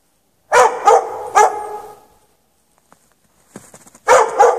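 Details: Dog chained in snow at night with no shelter for several hours, 3 March 2014; three loud barks with echo, a quiet stretch with faint clicks and a soft rustle, then two more barks.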